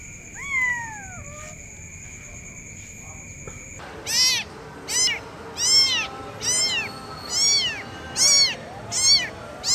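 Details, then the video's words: Kitten calling its mother: after a stretch of steady electronic tones and a sliding whistle, a run of high, arched meows repeats roughly every second, each rising then falling, over a soft background hiss. "suara anak kucing memanggil Induknya"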